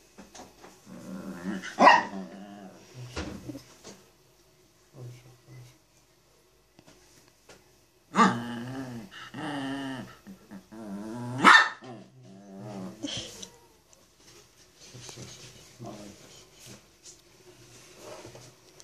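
A Chihuahua whines and grumbles in wavering, nasal bursts, demanding to be petted.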